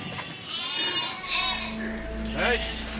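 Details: In Scotland, lambs in a flock gathered for shearing bleat in wavering, nasal cries, calling for mothers they lost in the crush, amid a bleating flock.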